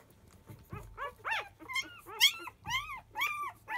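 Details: Field-line Labrador Retriever puppies, five days old, squealing noisily as nursing begins in the early afternoon; overlapping high arched whines and yelps tumble about twice a second, with soft low rustling beneath.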